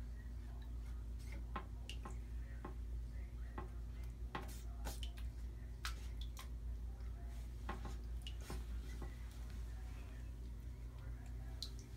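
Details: Dripping and splashing water with clinking kitchen sounds and faint speech, but no animal voice. A steady low hum runs underneath.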